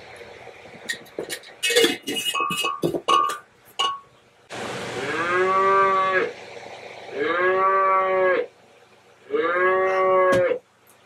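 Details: Bottle-fed bum calf on a goat-milking homestead, calling because she is ready to be fed; three long harmonic moos of about two seconds each, evenly spaced, after clinking and handling noises at the start.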